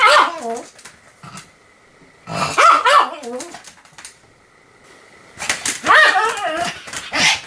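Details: Pomeranian Sam, recorded 7 October 2015, barking nonstop: three separate clusters of high, quavering, slightly growly barks, each a second or so long, with near-silence between them.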